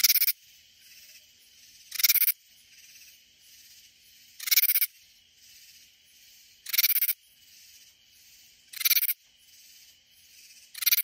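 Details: Katydid near San Antonio, Texas, in Hill Country, singing raspy scraping pulses about every two and a quarter seconds, six bursts in all, with quiet insect buzzing filling the gaps.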